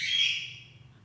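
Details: Single shrill, high-pitched cry from a doll face Persian kitten, Gujranwala, starting loud and strained, then trailing off softly within a second against a faint low hum.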